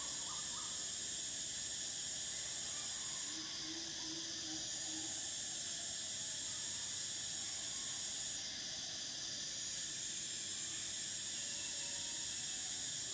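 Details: Continuous shrill cicada buzzing with the highest band briefly dropping out twice and returning, over a lower droning layer and faint scattered chirps.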